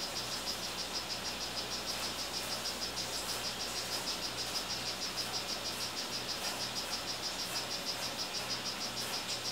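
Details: Strawberry poison-dart frog, a captive 'rio guarumo' male, producing a steady, regular sequence of short high chirps, a few per second, over low continuous mechanical hum and faint hiss.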